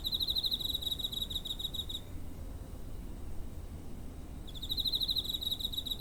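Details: Cricket near home on 7 September 2023, recorded with a TASCAM DR-05; a two-second burst of rapid pulsing trill, then quiet for over two seconds before the trill resumes, low ambient rumble throughout.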